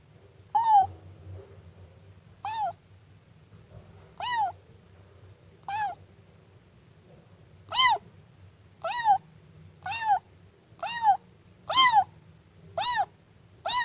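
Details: Siamese kitten meowing in a series of high, arched mews, about eleven calls spaced one to two seconds apart, growing more frequent toward the end, over a low steady hum.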